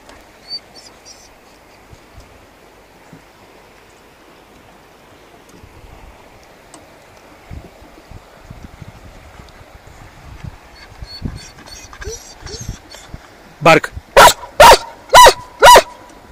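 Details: German Shepherd along on a folding-kayak fishing trip at Aleksandar Stamboliyski reservoir, Bulgaria; four loud, sharp barks in quick succession, about two per second, near the end, after a long quiet stretch of soft water and boat noises.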